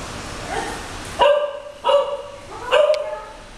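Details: English Cocker Spaniels Moving and Luize, almost 13 years and 9 months old, romping playfully on a bed: three sharp, tonal yipping barks spaced under a second apart, each with a bright harmonic ring, over a quiet room background.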